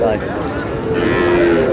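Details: Sahiwal bull calves at a cattle market in Chattogram, Bangladesh, on 5 June, as a farmer buys: a short, steady, low moo held under loud market chatter and bargaining voices.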